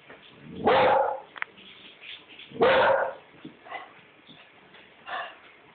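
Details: Indoors, Maeby the pet dog barks twice, a couple of seconds apart, at something outside the window, with softer muffled yips and quiet room sound between.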